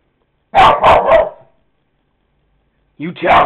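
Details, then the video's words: Pet dog barking at a dog shown on a computer: three quick, loud barks in a burst, then silence and a person's voice urging it on. "Barking at a dog on computer"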